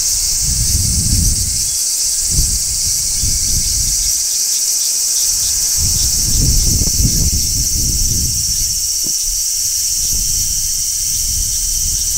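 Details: Large brown cicada shrilling on a tree in midsummer, a steady high buzzing drone running through the whole clip, with gusts of low wind or handling rumble rising and falling.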